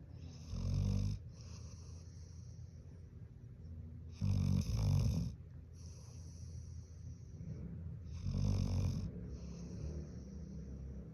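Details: Large pet Golden Retriever snoring while pretending to sleep: three deep, rasping low snores, each about a second long and spaced roughly every four seconds, with soft breathing between them.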